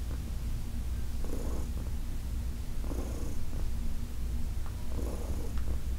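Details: Heidi, a senior adopted female cat from the Humane Society of New York City, purring during a massage; steady low rumbling purr throughout, with soft breathy swells roughly every two seconds.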